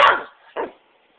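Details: Pet dog, a female that greets her owner with "hello"-like vocalising and barks when overstimulated while waiting for a biscuit: one loud, harsh burst, then a shorter, softer second bark half a second later, with the owner saying hello around it.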